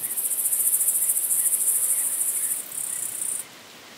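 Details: Long-horned club grasshopper, Myrmeleotettix antennatus, recorded at Nesvady, Slovakia, on 23 July 2023, possibly via ultrasound detector: a very high hissing buzz pulsing rapidly for about three seconds, with a short break, then stopping.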